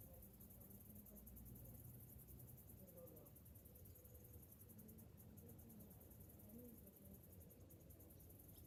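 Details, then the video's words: Cicadas in summer, recorded in the morning: a high, shimmering, evenly pulsed buzz continues over steady low-frequency rumble, with faint soft sounds in the background. "Morning summer cicadas sounds"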